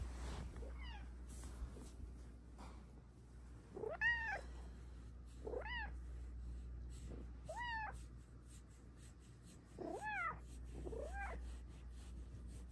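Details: A female Bengal cat in her cat cave gives a series of short, rising-then-falling meows, each about half a second long, asking for cuddles, then kneads.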